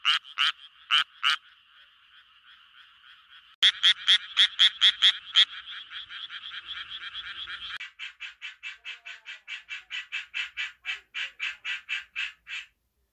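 Japanese tree frogs give rapid, raspy pulsed calls, repeated in quick bursts to attract mates.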